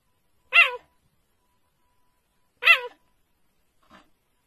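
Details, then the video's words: Cheetah seemingly hiccuping: two loud, brief, harmonic chirps about two seconds apart, each bending downward at the end, then a faint third sound. "Is the cheetah hiccuping?"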